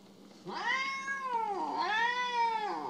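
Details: Jealous pet cat named Mo, sulking indoors while being asked for forgiveness, gives two drawn-out meows: each rises, then slides down, the second starting after a brief dip at mid-clip.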